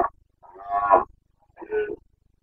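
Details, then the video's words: Carpathian stag in Bucovina, wild, during the September 2022 breeding season (boncănit): two rough, moaning roars, the first swelling then breaking off, the second shorter, with a quiet pause between. "Boncănit / Carpathian stag Breeding season"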